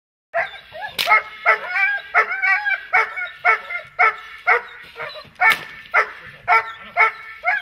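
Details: Dog in protection training barking in a steady run, about two sharp, harmonic barks per second, loud and continuous across the whole stretch with slight variation in spacing.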